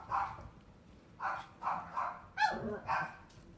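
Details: Miniature Schnauzer at a pet shop in Machida, Japan, giving five short mid-pitched barks in an uneven series over a few seconds.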